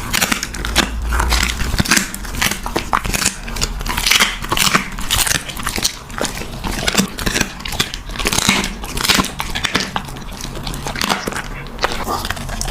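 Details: Puppy eating a meal indoors, recorded close up for ASMR: dense crunchy biting and chewing with sharp clicking crackles, steady through the whole stretch, in a small quiet room.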